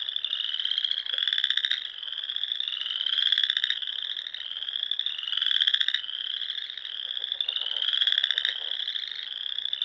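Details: From the rolling dunes of the Sandhills, Nebraska, spring frogs call at dusk near lakes: continuous shrill pulsed trills, gently rising in pitch, with regular louder swells about every two seconds.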